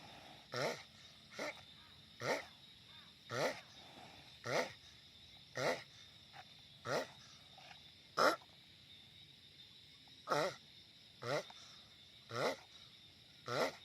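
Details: Loud giant sulcata tortoise: a long series of brief, clipped, breathy grunts, about a dozen in fourteen seconds, coming every second or so at a fairly even pace, with faint background hiss.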